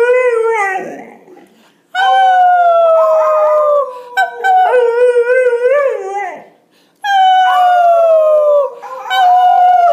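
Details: A male Golden Retriever puppy, 5 months old, learning to howl, gives long, wavering, drawn-out notes that slide downward; he howls only when his owners howl for him.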